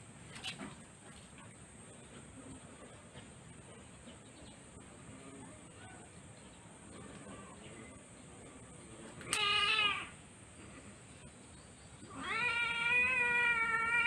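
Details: Sweetie, a female Siamese cat, having her claws cut; after a quiet stretch a short harmonic meow comes near the middle, then a longer, louder, drawn-out meow at the end, over a steady high hiss.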